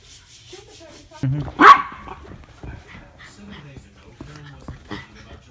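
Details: Two Norfolk Terriers, Ernie and Hank, wrestling together in play; low rumbling growls rise and fall, broken near the middle by one sharp bark-like yelp, then more soft growling and short huffs follow.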